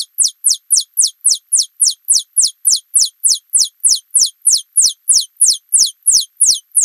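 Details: Alston's singing mouse (Scotinomys teguina) singing, played back slowed down from high-speed footage: a steady series of high, sharply descending whistled sweeps, about three per second, evenly spaced and with no other sounds.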